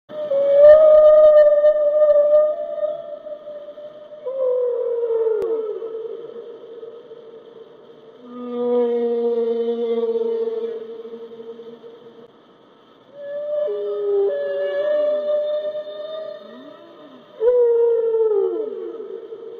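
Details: Humpback whale (Megaptera novaeangliae) song of long, mournful tones that slide and waver, with deep moans and rising whoops.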